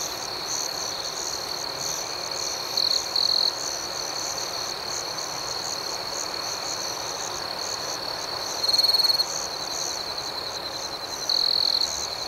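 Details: Nighttime crickets keep up a constant high trilling chorus while a nearer insect cuts in with three louder, pulsed buzzy trills of about half a second each, spaced several seconds apart.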